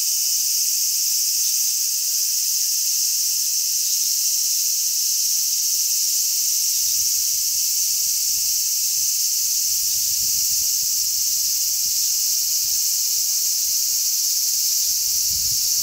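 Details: Many large brown cicadas on a zelkova tree on 3 August 2010 fill the air with a continuous, sizzling buzz like oil frying, with strong sea breeze.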